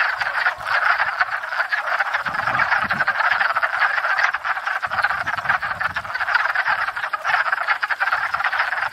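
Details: Wood frogs in full spring chorus at a pond, gathered to court and breed after thawing: a steady, loud wall of rapid overlapping quacking croaks with slight swells in intensity throughout.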